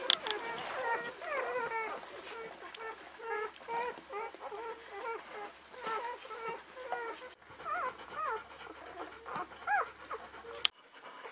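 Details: Five newborn female Czechoslovakian Wolfdog pups in the whelping box with their mother Orizon, born 21 November 2020, keep up a steady chorus of high, harmonic squeaks and whimpers for about seven seconds, then a few scattered cries.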